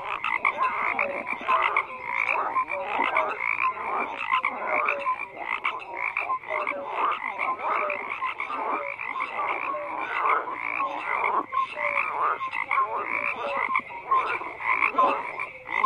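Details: Dense nonstop frog chorus: countless rattling croaks layered together, with scattered short whistle-like notes, level and unbroken throughout.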